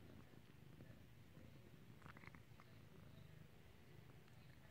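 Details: Cat in clicker training to ring a bell gives a continuous low, pulsing purr for the whole stretch, with a few faint higher rustles around the second mark.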